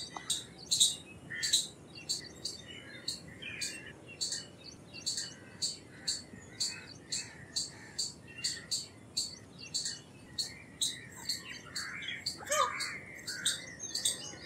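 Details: An Indian palm squirrel (Funambulus palmarum) calls, giving sharp, high chips repeated steadily about twice a second.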